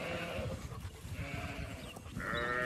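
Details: Zwartbles sheep of a flock moving to a field for cool late afternoon grazing on a regenerative farm in County Kilkenny, Ireland; wavering, harmonic bleats at the start and again near the end, with a person calling the flock on.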